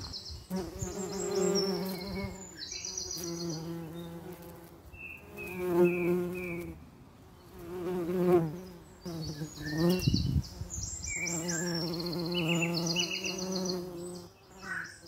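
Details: Common eastern bumble bee (Bombus impatiens), wing buzz.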